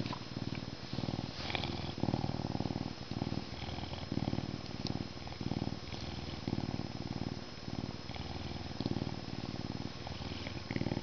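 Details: Humanized male Canada lynx, an educational ambassador animal born at a zoo, enjoying a scratching session before mealtime; sustained low, fast-throbbing purr, breaking into repeated runs with brief pauses for breath, faint rubbing sounds.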